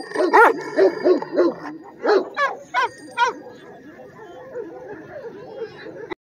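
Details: Red Afghan Kochi crossed with Bully, heavy build, barking about nine times in quick succession over the first three and a half seconds, each bark sharp with rising-falling tone, then only quiet background music remains.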